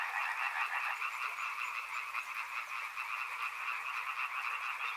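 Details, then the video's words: Frogs by a river calling together in a dense chorus: rapid, overlapping pulsed croaks run without a break, forming a steady rattling wall of sound with many notes per second. "Frog Sounds | Soothing sounds of river and frogs"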